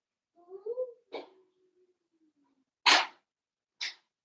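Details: Cavalier King Charles Spaniel puppies, blenheim litter, at play with their mother indoors: a short wavering whine trailing into a thin fading tone, then a snappy yap and two more sharp bursts.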